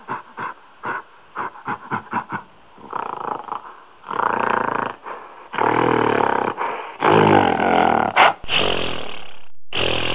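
A gorilla gives a quick run of short, gruff grunts, about four a second, that build into long, loud, rasping roars.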